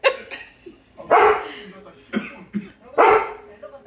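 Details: German Shepherd named Tank, reacting to his own reflection in a deck door, lets out three short, loud, broadband barks about a second apart, with a man's voice and laughter around them.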